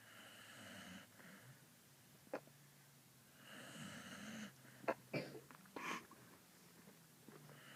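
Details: A female puppy snoring while she sleeps, very quiet: breathy wheezing snores in slow cycles, with a few sharper snorting puffs and sneeze-like bursts in the later seconds.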